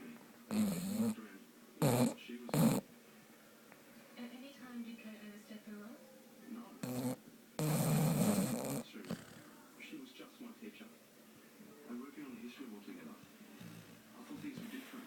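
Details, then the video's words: A dog lying asleep on a sofa, snoring: low, rough, drawn-out breaths rumbling under the other sounds. Loud bursts of handling noise break in at several points, and a person speaks in the background. "Funny snoring dog"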